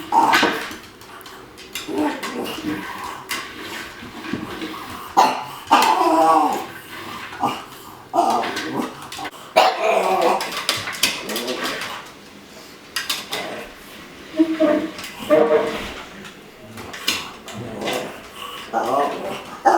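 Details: Pug making strange noises when given a new slow-feeding food bowl: irregular snorting, grunting and whining bursts, with some short bark-like sounds, scattered through the recording with rustling in between.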